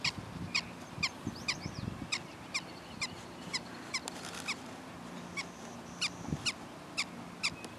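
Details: Fainter prairie dog barks, short and high-pitched, repeat at an irregular pace of about one to two per second over a soft low hum and background hiss.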